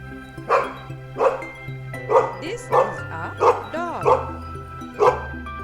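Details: Dog shown to children learning farm animal names, barking in short sharp single barks roughly every 0.6 seconds, about eight in all, with a brief whining yelp midway, over background music.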